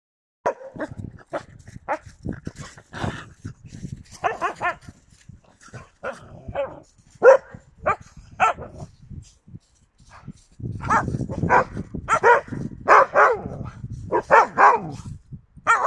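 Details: Yakutian Laika, January 2022: irregular sharp barks and yelps scattered through, growing louder and denser in the second half over a low rumbling background.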